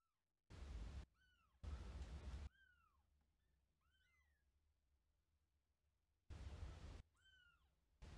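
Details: Gray kitten Lara, a wild-blooded kitten from Paraguay about a month old, meets older cat Hime, who entered her place; high arched meows repeat several times, rising then falling, between bursts of broadband noise.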